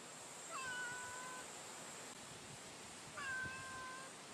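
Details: Two drawn-out, level meows about two and a half seconds apart from a female cat encountered on the street at midday, each with a rich harmonic tone over a quiet, hissy outdoor background.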